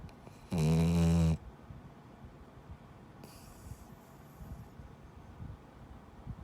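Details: Gigi, a male rescued Labrador-Schnauzer mix dog, snoring like a person while asleep indoors: one loud, rough, low snore lasting under a second, then quiet room noise with a brief hiss.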